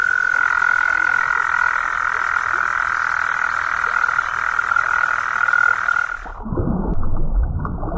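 A toad gives a long, steady, high-pitched trill that holds for about six seconds, then cuts off abruptly into low rumbling background noise.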